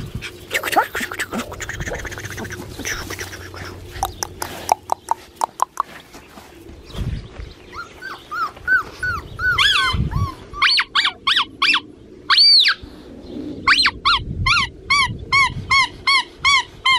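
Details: Blue merle male Australian Shepherd puppy from an Oklahoma breeder, AKC/ASCA registered. Noisy, cluttered start gives way to a run of high, arched whines and squeaks, then a steady series of short, evenly spaced yelping whimpers near the end.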